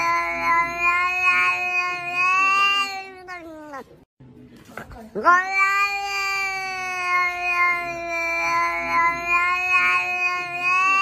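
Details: Cat at home letting out extended wavering yowls, a long harmonic wail sliding downward, short gap with faint noise, then a sharp rising onset into another sustained, slightly pulsing howl.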